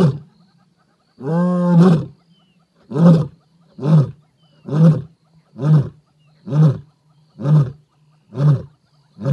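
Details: Lioness in an African reserve, recorded beside her on a game drive, giving a gravelly, medium-pitched roar: a long, deep moaning opening call, then about nine short, low grunts spaced roughly a second apart, all in a quiet, open setting.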